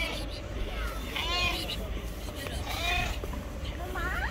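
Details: Yellow stray cat living on the street, seemingly wanting to tell something, gives three short arched meows about a second apart, each rising then falling, while a person talks over steady low outdoor rumble.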